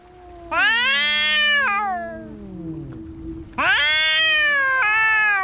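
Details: Fighting cats trade two loud, strident yowls, each held over a second with wavering pitch, joined by a low, descending moan between them.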